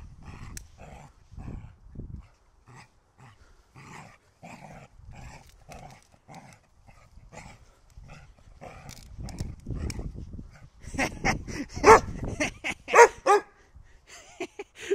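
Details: Holger the dog, eager for the stick, gives a run of short rhythmic growling huffs about once a second. They build into louder, harsher bursts near the end, with little else in the background.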